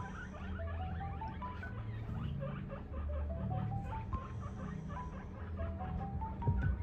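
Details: One of two 3-month-old guinea pigs, a female English and a male Abyssinian, gives runs of short squeaky notes that climb in pitch, repeated several times.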